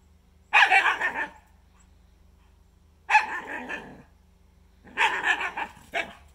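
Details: Two primitive dogs, a Shikoku and a Karelian Bear Dog, playing on a freshly melted, slippery pond surface outdoors; noisy play vocalising. Three loud harsh bark-growl bursts, each under a second, spaced about two seconds apart, with quiet low hum between.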